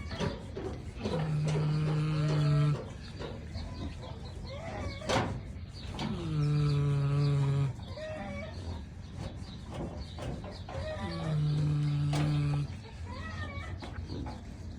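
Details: Kunekune pig asleep and snoring: three drawn-out, droning tonal snores, each about a second and a half long and spaced roughly five seconds apart, with quieter breathing between them.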